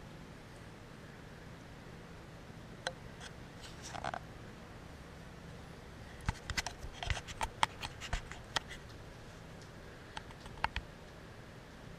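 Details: Quiet indoor room with soft background hum, broken by scattered sharp clicks and scrapes, with no animal calls.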